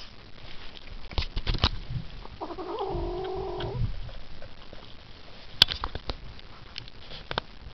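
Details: A Ragdoll kitten making noises while eating and not wanting to share its food, with one drawn-out, wavering, mid-pitched moan of about a second and a half, amid crunchy chewing clicks.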